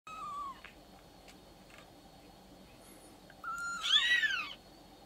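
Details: Six-day-old Maine Coon kitten at a breeder in Tokyo: a thin, high mew at the start, a quiet pause, then a louder wavering mew that rises and falls, over a steady low indoor hum.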